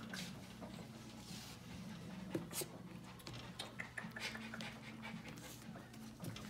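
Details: New female Long-haired Chihuahua puppy, born 1/6 and weighing 600 g, cheerful, just brought home; indoors, soft quick panting breaths with faint whimpers, low human voices murmuring beneath in a small room.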